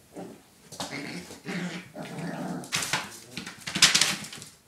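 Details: Five puppies playing: low rough growls and whines rise into a couple of sharp high yelps near the end.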